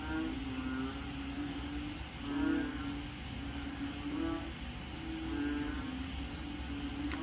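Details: Frogs at home in Korat, Thailand, call in a low, nasal chorus on a rainy day at the start of the rainy season, croaks swelling and fading every couple of seconds; described as fairly quiet compared with full rainy season.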